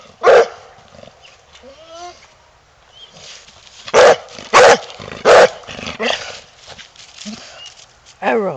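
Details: Coonhound Earl, wanting to go hunting, lets out loud barks, one early and three close together midway, between quieter whines and some background talk.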